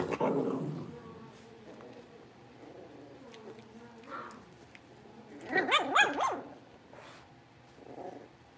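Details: Litter of five blenheim Cavalier King Charles Spaniel puppies moved into a big pen: a low growl at the start, then a burst of sharp, harmonic puppy barks and yaps near the middle, followed by a softer yip, over faint shuffling.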